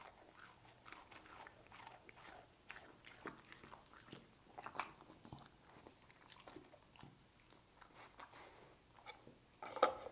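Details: Lucy, a pet dog, chews cookies with a steady run of soft crunches and short bites, ending in one louder sharp snap.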